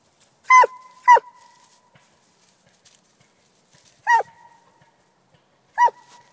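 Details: Coonhound barking: four loud, short barks, two in quick succession, then two more spaced a couple of seconds apart. Each is sharp and ringing, with a quick downward drop. The surroundings are otherwise quiet.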